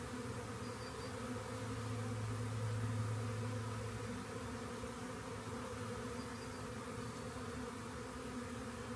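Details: Continuous swarm hum from honey bees discovered beside a rain gauge, a thick droning buzz that swells briefly in the middle with a deeper tone before settling back.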